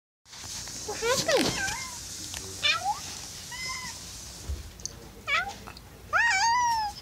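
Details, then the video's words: Cat meowing and howling indoors: a string of loud, drawn-out, wavering meows, some rising then falling, others short and chirpy, separated by brief pauses, with a low room hum underneath. "Adorable cat meowing"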